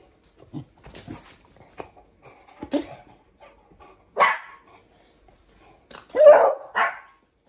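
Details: Indoor barking from a household pair, Hendo, a 10-month-old Pomeranian, and Salto, a beagle, being taught to ring a bell: faint scattered yips early on, then two louder sharp barks near the end, with quieter broadband bursts between.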